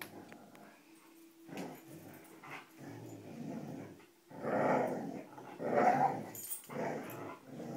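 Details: Dogs named Cujo, Kali and Lilly playing tug with a rope indoors: a low rumbling growl broken into uneven bursts, louder and rougher toward the end, with short pauses between rumbles.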